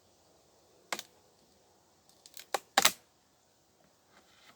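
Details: A few sharp clicks and taps from handling objects in a quiet room, with no buzzing or other animal sound.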